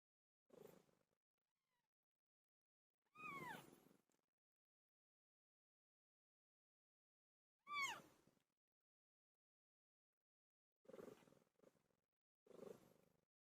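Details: Cat named Pilo giving birth: sparse low grunting sounds with two sharp, sliding meows in between, long silent gaps separating each short outburst.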